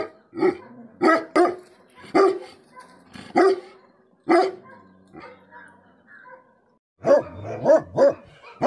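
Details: Tibetan Mastiff (Bhote Kukur) barking angrily: loud, gruff barks in irregular bursts, some doubled, a quieter gap near the middle, then a quick run of three barks at the end.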